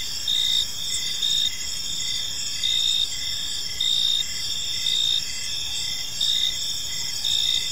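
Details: Crickets chirping in a park on an evening: a steady shrill high trill with louder chirp bursts about every 1.2 seconds, several insects layered together, no other clear sounds.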